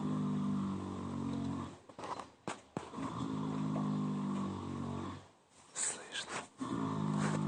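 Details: Yaskrava, a sleeping mare, snores in deep, harmonic, rumbling breaths, each drawn out over a second or more, with quieter gaps and a few sharp knocks and rustles between them.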